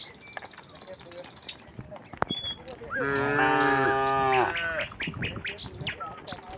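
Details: Tame cattle in a herd walking calmly from the neighbouring village to their pen: after clicks and rustling, one long, steady, harmonic moo lasting about a second and a half, followed by short chirps and scattered knocks.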